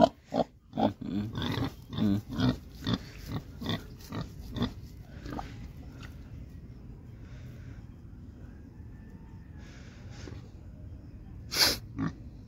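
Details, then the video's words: Pigs on a farm in Assam, India, giving a run of short, rough snorting grunts about every half second for five seconds. The grunts then fade to a quiet background, with a sharp loud burst near the end. "pig farm in assam"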